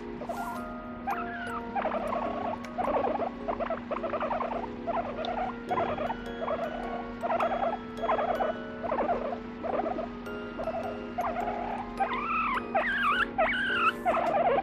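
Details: A guinea pig over three years old, squeaking and complaining as it falls asleep, like a human baby: repeated short harmonic squeaks and chirps in uneven bursts, rising and wavering calls near the end, over a steady hum and faint background music.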